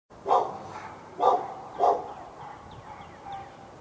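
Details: Dog barking at the neighbouring dog through a fence in Raleigh, North Carolina, on February 15, 2012, during hours of non-stop morning barking: three loud, evenly spaced barks followed by fainter, more distant barks and thin chirps.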